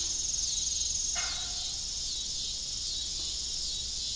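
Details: A continuous high, shimmering cricket trill rings out in the evening by an abandoned farm windmill, with one short metallic creak early on.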